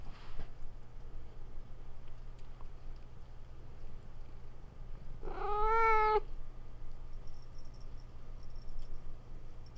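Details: Pet house cat answering a sound played to attract cats: a single drawn-out meow about one second long, bending up then down, in an otherwise quiet room with a faint low hum.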